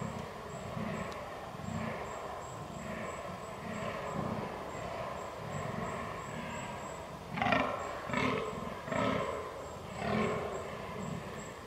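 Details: Fallow deer rut recorded 22 October 2022 with a Canon R6. Rhythmic low groans run throughout, then three or four much louder, rasping belches erupt near the end. A thin high ticking sound repeats faintly above.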